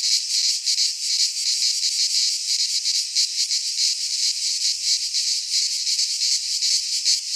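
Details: In a Greek pine forest in midsummer, many cicadas sing together: a harsh, sizzling high buzz, steady in volume with irregular rapid pulsing, and faint low rumbles near the end.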